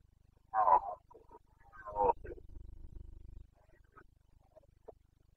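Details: Red deer stag of the Carpathians, Bucovina, roaring during the autumn rut of 2022: two abrupt coarse bellows roughly 1.5 seconds apart, then a low droning murmur and scattered faint distant calls.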